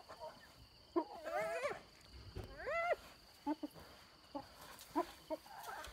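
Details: Wild hyenas fighting over an impala carcass stolen from a leopard and her cub, near Selati Camp: rising, wavering whooping squeals with bright harmonics, then short yelps and cackles, set in a rural outdoor background.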